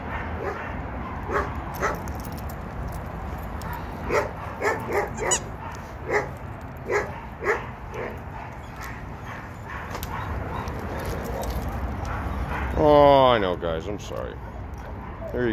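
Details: Senior German Shepherds, former strays, at an animal shelter: sharp single barks repeated irregularly through the first eight seconds, then a quieter stretch, then a falling, harmonic whine near the end, over a constant background hum.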